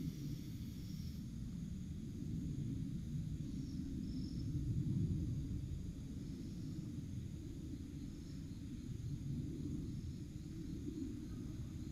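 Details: Low outdoor rumble, like distant traffic or wind, runs steadily throughout with no animal calls.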